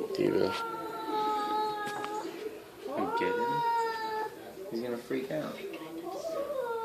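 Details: Perseus, a domestic cat recently adopted from the SPCA, talks to himself in the mirror indoors: long drawn-out harmonic moans, several rising then holding steady, with a person speaking softly alongside in a small room.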